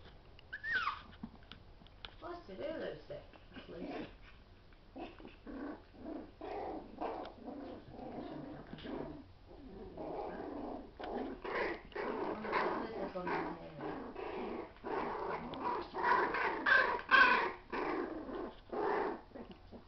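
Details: Schnauzer puppies play fighting indoors, a pair of feisty pups: steady rapid growls and grunts in quick bursts, rising in intensity toward the end, with high yips and a person talking softly.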